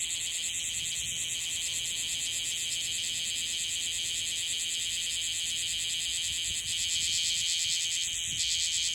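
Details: Young bear cicada just out of its final moult in Okinawa, its song still unsteady; an intense shrill buzz with rapid pulses and brief gaps in the upper band, growing louder near the end.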